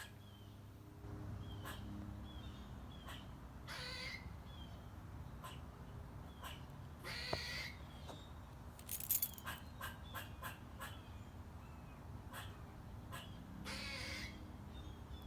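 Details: A squirrel in a front-yard tree gives short, high squeaks mixed with sharp crunching bursts while eating a nut, over a low background rumble.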